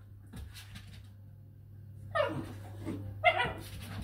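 A basenji lets out two brief, rough, yodel-like yelps about a second apart, each rising then falling. A constant low electrical hum runs underneath, with some faint knocks early on.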